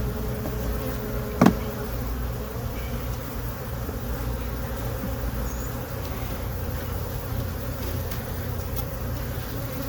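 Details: Honey bees in a hive box they moved into on April 29, 2022, heard during a hive inspection: a steady, low droning hum from many bees, broken by one sharp knock near the start.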